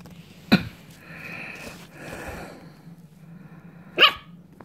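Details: Dog giving two sharp, short barks about three and a half seconds apart, with people laughing and chattering faintly in between.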